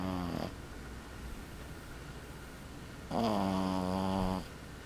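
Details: A sleeping male Boston Terrier puppy about 12 weeks old snores with a low, rumbling, harmonic drone on each breath.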